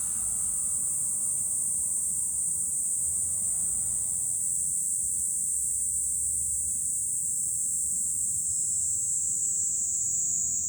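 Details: July cicada chorus from a high vantage point above Fukuoka city, Japan: a continuous, intense high-pitched buzzing drone dominating throughout, with faint low rumble in the background.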